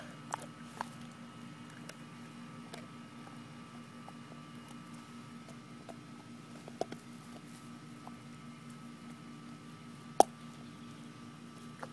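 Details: A quiet indoor room holds a steady electrical hum, broken only by a few faint taps and one sharp click.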